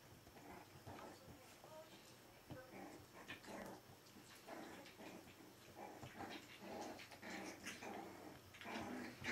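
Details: Four-week-old Berger des Pyrénées à face rase (Pyrenean Shepherd) puppies, a litter indoors, giving scattered short whimpers, grunts and yelps throughout, mixed with human speech in the background.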